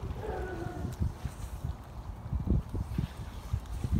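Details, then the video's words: California sea lion in Monterey harbour, California, USA, recorded 8 March 2023: a short, harmonic, slightly falling vocal call opens the recording, followed by steady low rumbling and splashing water noise. "California Sea Lion, Zalophus californianus, Monterey harbour, CA, USA, 8 Mar 2023"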